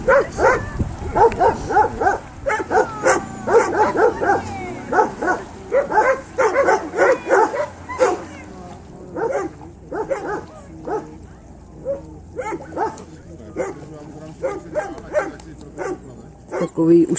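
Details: A Landseer dog during water rescue training in the Czech Republic. It gives bursts of short, sharp yelping barks, fast and irregular, that thin out midway and then pick up again. Czech-speaking people talk nearby.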